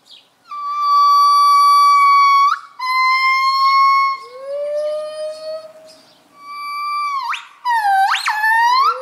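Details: A pair of gibbons at a zoo gives its morning chorus, loud pure sustained hoots breaking into rising, swooping whoops toward the end.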